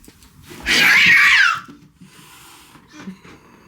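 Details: Fierce feral kitten on the run, just after ambushing another cat: one loud, harsh, rasping hiss-yowl lasting about a second and sliding slightly downward, followed by quiet rustling indoors.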